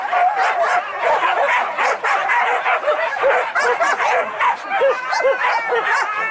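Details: Trained hunting dogs on a wild boar hunt at Anyer, Banten, Indonesia, barking and yelping together in an excited pack, with overlapping high yips and short barks throughout and voices mixed in.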